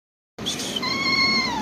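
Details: Calico cat giving a single drawn-out meow, starting higher and settling into a long, steady, slightly falling tone with rich overtones, loud and close.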